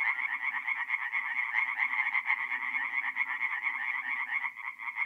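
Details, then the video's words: Tree frogs calling in a nighttime forest pond in north-east Italy during mid-April, a close, loud stream of quick nasal pulses that rise and fall unevenly, with faint deeper croaks underneath. "relaxing forest pond by night with singing tree frogs"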